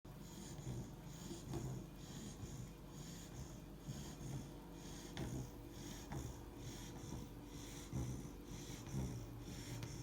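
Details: Three-month-old Labrador Retriever puppy asleep and snoring: steady, low, rasping breaths about once a second, each with a soft snorting edge, close and clear.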